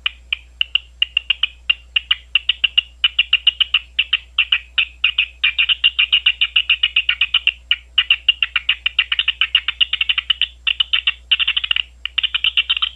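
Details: Big brown bat recorded at Ohio State University: an unbroken, fast stream of clicking pulses for thirteen seconds, about four a second and at times running together into a rapid rattling chatter.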